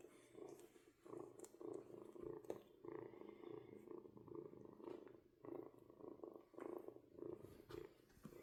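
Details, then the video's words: Kitten purring in pulsed bursts about twice a second, a low rumble with rhythmic swells, soft voices and rustling around it. "Purring Kitten"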